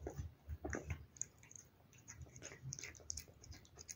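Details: Cat at a dish of wet food, short burst of soft chewing and lip smacks, a few bright clicks, then quieter licking.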